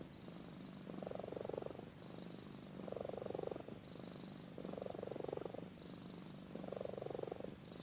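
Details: Sleeping cat named Amy purring and snoring, a fine continuous low buzz with four breathy snore swells, each about a second long and about two seconds apart, in a quiet room.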